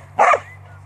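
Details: A single short, sharp bark from a Border Collie that works on a farm, over a faint steady low hum.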